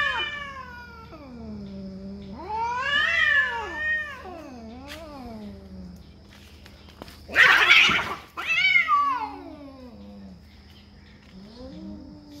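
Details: Fighting cats over territory trade drawn-out yowls, some rising to shrill peaks and others sliding down to low moans. A burst of harsh hissing noise comes midway, then more bending wails follow.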